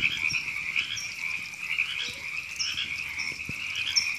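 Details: Frogs at Temescal Canyon Park, Los Angeles, California, April 2017, described as river frogs: a constant buzzy chorus of many overlapping croaking voices, with occasional thin high notes above and a soft click.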